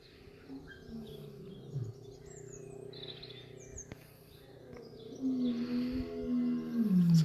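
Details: Lions at a UK wildlife park on a hot, sunny 11 April 2020, one roaring while lying down: deep, rumbling distant roars that swell and grow louder toward the end.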